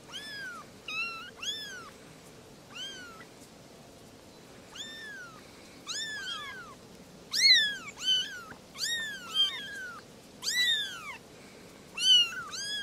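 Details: Playful kittens with their mother cats calling for attention; a long series of shrill, arching meows, often two or three close together, with short pauses between clusters and a faint steady hum underneath.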